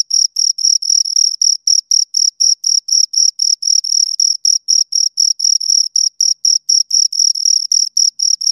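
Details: Pair of crickets chirping near the ears, an even train of shrill scraping pulses repeated roughly four times a second, bright and high with a thin upper harmonic, background otherwise silent.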